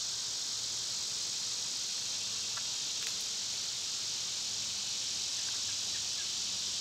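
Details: Steady summer cicada song, a loud, uniform, high-pitched buzz filling every moment, with a couple of faint quick chirps partway through.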